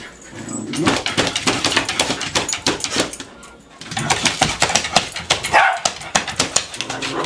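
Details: Pet dog named Princess at a cabin, scratching persistently at cabinets in hopes they will open or mice will come out; rapid dense scraping bursts in two runs with a short pause, a brief whine near the end.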